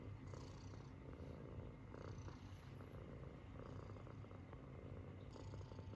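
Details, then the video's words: Munchkin kitten sleeping with a funny face, snoring steadily: low rumbling breaths in a continuous purr-like drone, with faint soft wheezy hisses on each breath, indoors and quiet. "滑稽な寝顔でいびきをかく猫 Snoring kitten's funniest sleeping face"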